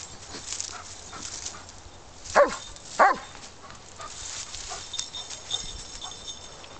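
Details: Xander, a certified search and rescue dog, barking on a windy day during a stay-and-bark exercise after tracing a hidden person's scent to the base of a blind: two loud, sharp barks about half a second apart amid steady wind rumble.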